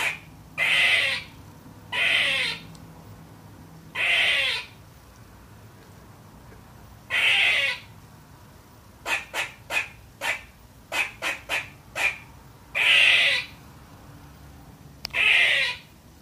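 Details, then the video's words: Young pet squirrel named Trooper-Marie barking at nothing: harsh, broad bursts about half a second long, spaced a second or two apart, then a quick run of short sharp chips before louder barks resume; quiet room. "Barking Baby Squirrel"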